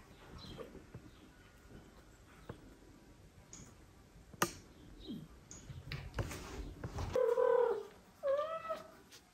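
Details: Mother domestic cat, reunited with the father cat, carrying a kitten to him and meowing; after clicks and rustling, two short harmonic meows near the end, the first flat, the second upward-curving.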